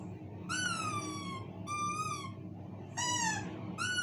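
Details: Pet dog howling in response to a squeaky toy: drawn-out, tonal wails that slide gently downward, in four bouts separated by short pauses, with low room rumble beneath and a person speaking Portuguese right after.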